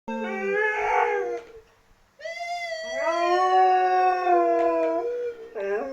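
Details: A Siberian Husky reacting to an annoying sound gives drawn-out, wavering howls, rising and falling in pitch with a rich, harmonic tone.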